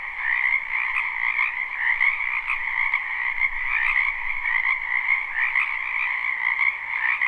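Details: Wild frogs in a spring wetland, live recording without loops: thick overlapping croaks form a constant buzzing, trilling chorus with a high band above a lower one, gently pulsing in loudness throughout.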